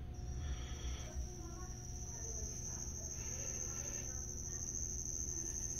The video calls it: cricket making noise